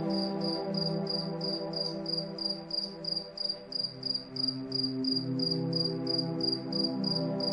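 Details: Cricket chirping on a calm moonlit night, quick high ticks repeated around three times each second without pause, accompanied by gentle layered music and a soft pulsing low background.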